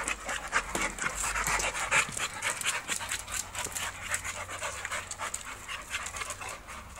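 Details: American Bully dog at a UKC show, panting in quick irregular breaths, roughly four per second, a breathy hiss throughout with no barking; man speaking nearby.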